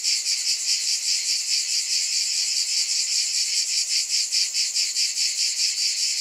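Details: Many cicadas buzzing together in a high, rasping drone that beats in soft regular waves a little over twice per second, uninterrupted.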